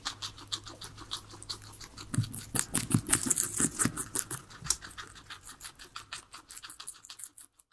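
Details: Three pet guinea pigs munching their veggies, a salad: rapid crunchy chewing clicks and rustling in quick bursts, loudest mid-clip and then thinning to softer, spaced bites, with no talking or music.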